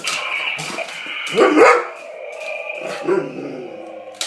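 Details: A dog unsure about a new dinosaur toy gives one short, rough bark in the middle, with a few fainter, harmonic yelps before and after and a low hum underneath.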